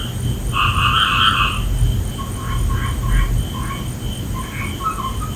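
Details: Frogs calling at night: bright, harmonic croaks with strong bands near the upper midrange, a loud burst early then softer repeated notes, over steady low rumble and a constant high insect-like hum.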